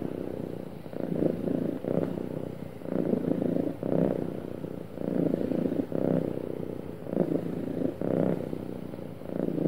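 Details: Purring from a happy pet cat, steady low vibrating drone broken into breathing cycles about every two seconds, smooth and unbroken throughout.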